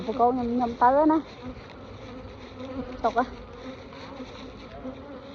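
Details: Farmed bees in Cambodia give a continuous low, even hum beneath short bursts of a man speaking Khmer near the start and middle.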